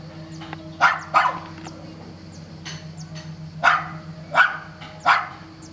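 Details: Dog at Sant'Elia, Vieste, barking throughout a holiday stay; two quick barks, a pause, then three more spaced under a second apart, over a constant low mechanical hum.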